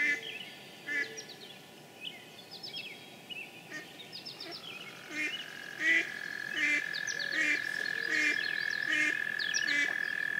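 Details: On 9 May 2013 in Sudbury, Massachusetts, in spring rain, an American toad gives a long, steady, high musical trill that holds one pitch, over chirping songbirds, low croaks and a soft rainy hiss.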